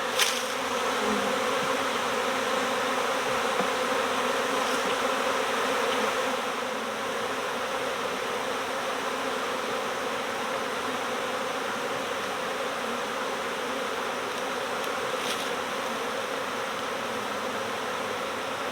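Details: Continuous hum of a honeybee swarm during swarm season, slightly louder in the first seconds and then settling into a steady, many-voiced buzz with occasional soft taps.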